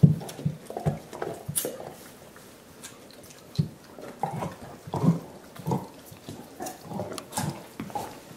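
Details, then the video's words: Five dogs indoors chewing soup bones as part of their dental hygiene program. Wet, low slurps and smacking chews come in irregular bursts, with soft dripping and knocking sounds in a small room. "Annoying dog noises"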